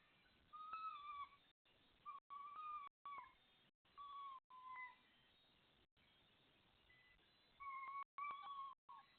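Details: Red fox in a garden gives a run of clear, whining calls, each under a second and often falling at the end.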